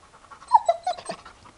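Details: Hyperactive four-year-old Labrador giving a brief run of high nasal whines, three or four clipped notes falling slightly, with soft breathy sounds around them.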